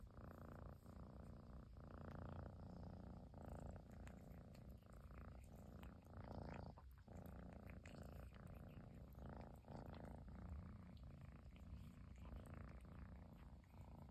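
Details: Persian kitten, a long-haired chinchilla cat in Japan, purring nonstop indoors after its owner finally came home; a steady low rumbling purr runs through the whole stretch with soft rhythmic breath pulses and faint rustling.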